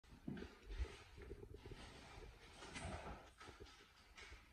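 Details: An excited British Shorthair cat eating a chicken drumstick chews noisily, with wet crunches and clicking bites in quick, uneven bursts.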